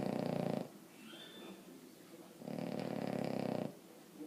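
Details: Loud sleeping snores from Emma Mae the Boston Terrier: one harsh rasping breath ends, a soft faint pause follows, then another gravelly snore lasting over a second.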